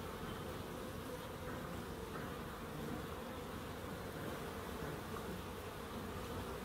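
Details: Bees in a small wildlife garden in Crookes, a steady low continuous droning hum with a band near 500 and 250, unbroken and even in loudness throughout.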